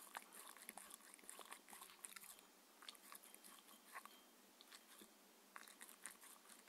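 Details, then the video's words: Quick wet biting and crunching from Mindy, a six-year-old Shetland Sheepdog, at her daily dinner of chicken and raw beef in a small indoor room; clicks and smacks come in rapid irregular bursts, no voices. "ASMR Dog eating and drinking Sounds"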